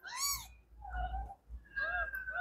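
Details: Several three-day-old kittens meowing at the same time: a bright, rising-then-falling squeak, then two longer, thinner, wavering mews that overlap as the litter calls together.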